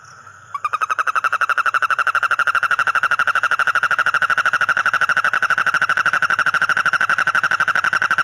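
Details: A bullfrog with inflated throat gives a long, steady, loud buzzing trill of rapid pulses at a fairly high pitch, possibly a mating call.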